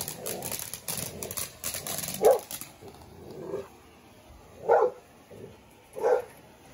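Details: Seven-month-old Dogo Argentino losing his temper in a first-time reaction: a few loud single barks spaced a couple of seconds apart, after a stretch of rustling, scraping noise.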